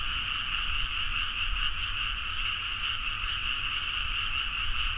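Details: Rice-paddy frogs at midnight in Nagaoka, Niigata, Japan, recorded on a Zoom H4n: a loud, uniform chorus of overlapping rattling croaks forming a constant buzz, with a low murmur of distant background noise.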